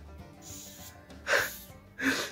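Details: A captive giant cockroach gives two short, breathy hisses, each under a second, a sound it makes when it feels disturbed, here while being handled.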